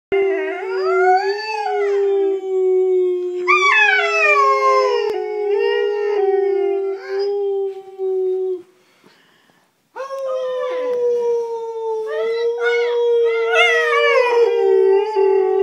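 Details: Pet dog howling like a hound, its first time ever howling: long, steady, tonal howls with rich overtones and rising-then-falling swoops, held for several seconds, a brief silence partway, then howling resumes strongly.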